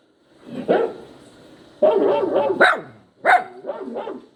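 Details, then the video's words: Crying, yowling poodle puppy: a single yelp, then a drawn-out wavering whine of joined cries, followed by two more sharp yelps and a few softer trailing whimpers. "poodle listening to the crying sound of the puppy | yowling sound of puppy | poodle puppy"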